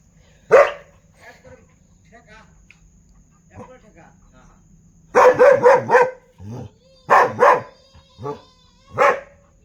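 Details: Dog giving one sharp bark, then a quiet stretch with faint murmuring, then a rapid flurry of four loud barks, a lower gruff bark, a double bark and a final single bark over a low background hum.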